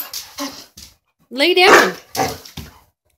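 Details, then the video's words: Gator, a pet dog who loves bacon, 'talks' with one drawn-out, rising and wavering whine-howl lasting under a second. Short bits of a person's speech come before and after it indoors. "my talking dog gator"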